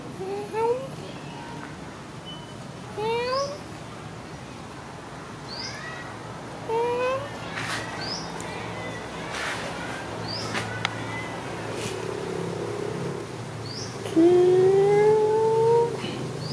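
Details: After food, the adorable cat Sona gives a run of short rising meows, then one long, slowly rising meow near the end, with some clicks and faint chirps in the background.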